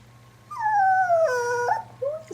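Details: Female puppy indoors, frightened by her own reflection, gives a drawn-out tonal whine that slides downward over about a second, with a short rising yelp after it and a steady low hum in the room.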